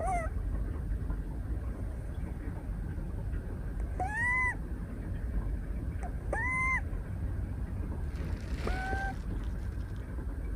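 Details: Moka, a female brown tabby Scottish Fold kitten 173 days old, snoring while napping in someone's arms at a desk on 12 December 2023: whistled nasal tones rising then leveling, repeated every few seconds over a low steady rumble.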